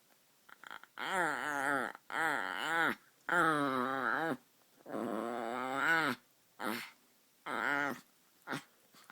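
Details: White Chihuahua puppy indoors making funny sounds: a run of about seven drawn-out, moaning grumbles, each rising then falling in pitch, rich and nasal, separated by short pauses, in a quiet small room.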